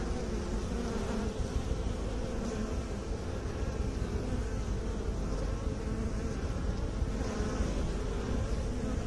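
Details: Bees kept by beekeepers, a dense, steady low buzzing hum filling the whole stretch without pause, with faint brighter layers above the deep drone.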